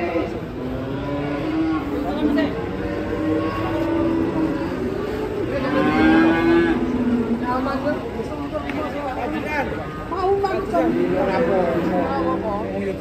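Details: Black Grandong cattle, agitated during unloading from a truck, give long low sustained moos that waver and bend downward, overlapping one another, with faint human voices and background noise throughout.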